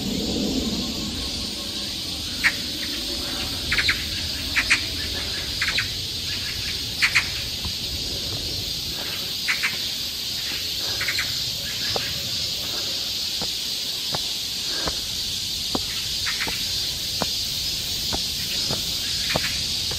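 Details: Cicadas singing along a forest trail in Seoul, Korea, in summer: a steady, high, buzzing drone runs throughout, with short sharp chirps and clicks scattered over it.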